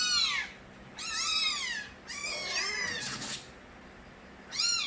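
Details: Kittens of Nabi, street cats, crying loudly in their early days: high arched meows with rich harmonics, three drawn-out calls in under five seconds with quiet gaps between.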